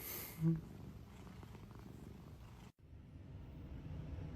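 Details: Cat purring in a low, steady rumble that fills the lower range, with a brief louder sound near the start and a sudden cut partway through before the soft purring texture resumes.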